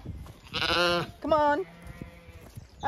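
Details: Zwartbles sheep on a regenerative farm in County Kilkenny, Ireland, with the flock moving to fresh pasture for late afternoon grazing; two harmonic bleats, the first long and wavering, the second shorter, with a man calling "come on girl" around them.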